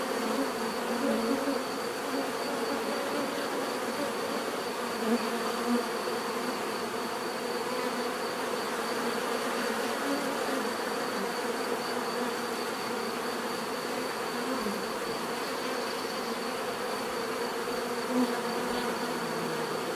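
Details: Steady natural buzzing of a crowd of bees, a long even drone with occasional close fly-bys adding brief louder hums.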